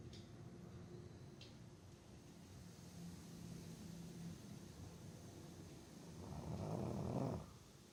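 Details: Boston Terrier Botan in deep sleep, breathing quietly before one strong rasping snore rising near the end, lasting about a second; a soft click early on, otherwise a still indoor background.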